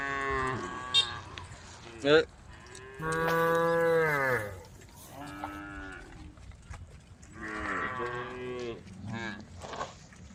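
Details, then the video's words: Cattle herd of dozens of brown, white and black cows wandering a dusty country road, mooing to call the herd: several separate moos, one long and strong, others shorter and fainter, with sharp knocks and a brief human voice. "the sound of cows calling the herd"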